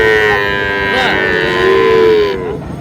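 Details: Sahiwal bull calf sounds at Ambari market, Manikganj, 14 August: a long, level, tonal moo holds for over a second before fading, with crowd noise and men haggling over prices around it.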